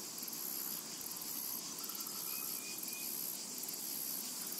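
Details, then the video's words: Cicadas in a summer meadow make a dense, very high, continuous hiss-like buzz with faint rhythmic pulsing, while a few thin bird chirps rise briefly above the steady insect drone. "Summertime and Cicada Ambience"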